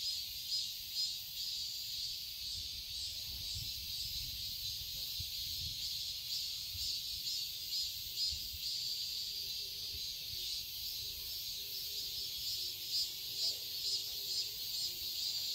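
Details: Summer chorus of cicadas in a Seoul garden, Korea: continuous shrill buzzing that pulses slightly about twice a second, over soft low background rumble.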